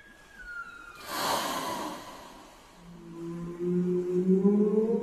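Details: Whale sound: a faint descending whistle, then a loud breathy whooshing burst, followed by low moans that slowly rise in pitch toward the end.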